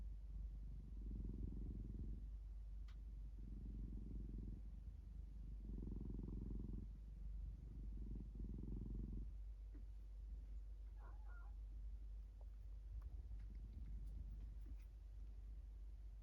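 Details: Low, rhythmic purring from a house cat, four distinct breath-cycle bouts in the first nine seconds, then the rumble fades into softer purring with faint clicks and small rustles.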